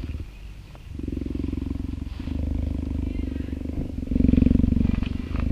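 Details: Female African cheetah of about three years, petted by a volunteer in an open enrichment yard in summer, gives a low, fast-throbbing purr that swells in from quiet after the first second and grows louder near the end.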